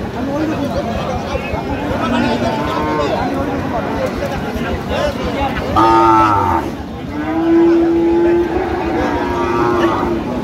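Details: Cows (gabhi) for sale at the Aftabganj haat, a cattle market, on 1 November 2025. Two drawn-out, low moos about two seconds apart, the second longer and steady, possibly a third fainter one, with chatter and crowd noise throughout.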